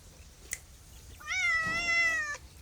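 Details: A single drawn-out meow from a domestic cat, steady and slightly falling, about one second long, preceded by a faint tap in a quiet room.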